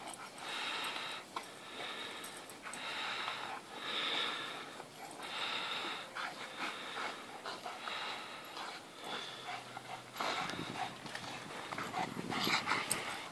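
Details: Teddy, a white dog, pants heavily while playing with Lucien in the morning, unusually for him; hoarse breaths repeat at a brisk, even rhythm, with a scuffle and a snorting rush of air near the end.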